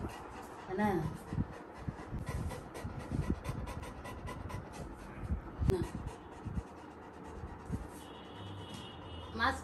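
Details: Little John, a Labrador Retriever puppy, is wiped with a cotton cloth after ear drops. Rapid, breathy panting comes in short bursts, with a few brief high squeaks like whimpers and Thai speech nearby.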